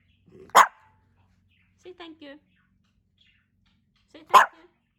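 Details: Two loud, clipped barks from Hendo, a pet Pomeranian turning two, come about four seconds apart, with a short burst of human voice between them.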